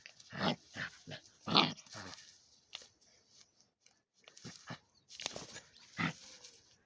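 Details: One-month-old German Shepherd puppy, an angry new guard dog, gives a run of short rough barks and growly yaps, clustered at the start and again near the end, with quiet gaps between and a small room feel.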